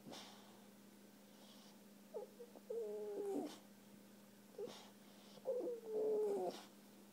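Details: Ruger, a puppy unhappy after being neutered, whines indoors in soft, drawn-out tones. Two main whimpers, each with a falling then level pitch, are separated by brief breathy sounds and quiet pauses.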